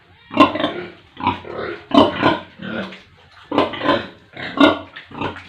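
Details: On an Indian village pig farm with piglets, a pig gives deep, rough grunts in short paired bursts, about five clustered groups across a few seconds, close and clear.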